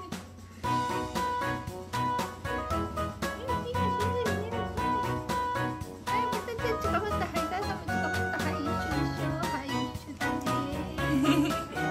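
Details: Upbeat swing-style instrumental music with plucked and bowed strings plays throughout, with no animal voice.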